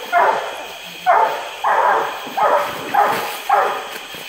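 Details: Treed Treeing Walker Coonhound in a rain-swollen woodland swamp near Indianola, Mississippi, on a hot July day in 2016; six strong, rough barks in quick succession, roughly two per second, over a steady high background hum.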